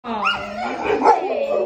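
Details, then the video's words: Bernese Mountain Dog greeting its owner on arrival home, as it does every time; one loud, drawn-out, wavering howl-like woo that swells and bends in pitch for nearly two seconds, rich in overtones. "My dog greets me like this every time I get home"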